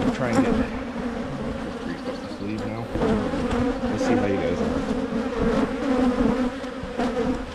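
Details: Honey bees at hives in Michigan being split by a beekeeper to try to prevent swarming; a steady low droning hum with two even bands, individual bees buzzing past, and a soft rise and fall in loudness throughout.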